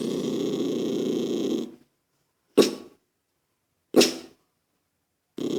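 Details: Toy poodle named Lucky, irritated by a child's noise, gives a long low rasping growl lasting almost two seconds, then two sharp short barks a second or so apart, with a growl starting again at the end.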